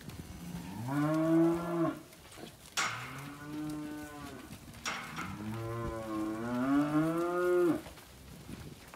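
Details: Angus cattle moo at a weaner sale of Angus and Black Baldy steers and heifers in Casino, March 2021: two long, loud harmonic bellows, the second wavering and drawn out, separated by sharp clattering knocks.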